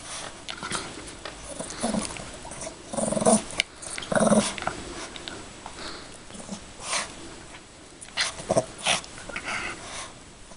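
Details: Female Yorkshire Terrier at play with a toy bunny: bursts of short growls and snorts come in uneven clusters, the strongest around three to four seconds in, with brief quiet gaps and faint rustling.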